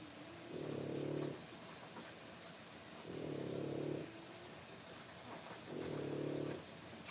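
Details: Three-week-old French Bulldog puppies, born 1/10/25 and filmed during whelping care, make low, rough snoring breaths, each lasting about a second and recurring roughly every two and a half seconds over a faint steady background hum.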